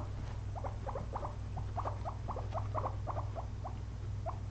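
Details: Pet guinea pigs, a pair, resting after a day of eating frozen blueberries; quick sharp chirp-like ticks repeated about three to four per second, fairly even, over a steady low background hum.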